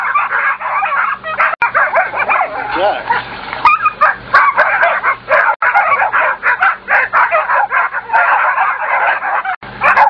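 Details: A hunting pack of German Shorthaired Pointers, which have killed a bobcat and fox, confront a badger, barking and yelping in a frantic, dense, overlapping chorus while a man shouts "back up" over the din.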